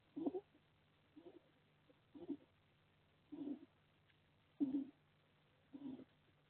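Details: Sleeping hedgehog snoring at a live wildlife camera hedgehog shelter in a garden in Las Merindades, Burgos, Castilla y León, Spain; soft, low raspy breaths come in short bursts roughly once a second over a faint steady hum.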